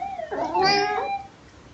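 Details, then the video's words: Pet house cat answering its owner's question indoors, with one drawn-out meow that rises and slides, somewhat howl-like, lasting about a second over faint room noise. "Talking Cats and Their Owners"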